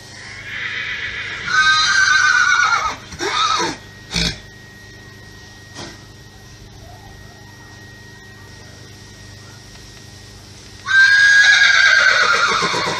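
A horse gives loud, quavering neighs that slide downward, with a quiet pause between them.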